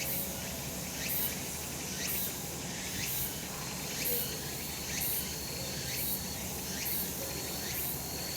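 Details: Cicadas calling on a sunlit summer mountainside: dense, hissing insect chorus with buzzy pulses swelling about once a second, steady low rumble beneath.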